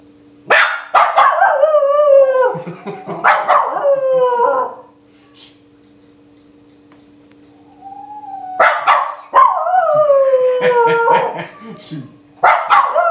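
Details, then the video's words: Pet dog barking in two loud bouts separated by a quiet gap of about four seconds. Each bout is a run of harmonic, howl-like barks that slide downward in pitch. A steady low electrical hum runs underneath. "My dog barkin' like a boss"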